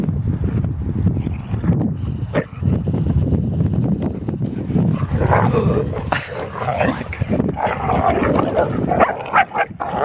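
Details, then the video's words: Two Deerhounds, Art and Finn, play fighting: a dense, rough run of low growls and gruff barking bursts, busier and louder in the second half, with scuffling and thudding mixed in. "Deer hounds Play Fighting"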